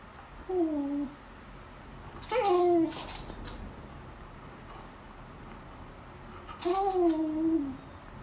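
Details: Female beagle begging at the lunch table, giving three separate whiny cries a few seconds apart. Each is tonal and slightly falling, with quiet room noise between them.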